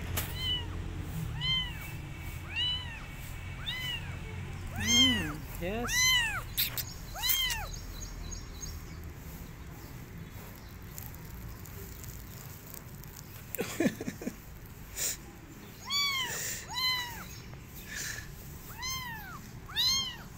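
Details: Abandoned kitten calling, wanting an adult female cat to adopt him while she shows no interest; repeated rising-falling meows, several per few seconds, high and tonal with clear harmonics, a brief burst of louder cries mid-clip, faint low background hum.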